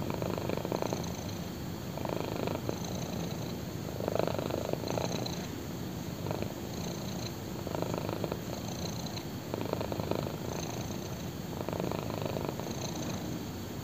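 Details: Close purring of a black kitten lying on a person's thigh: a low buzzing rumble pulsing in regular waves about every two seconds, with a faint brief rustle near the middle.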